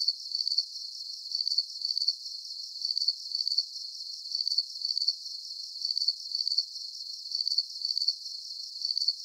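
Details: Soothing cricket chorus for deep sleep, bright high-pitched chirps made of rapid pulses, grouped two at a time and recurring about every second and a half, very regular, over a faint hiss with nothing in the low range.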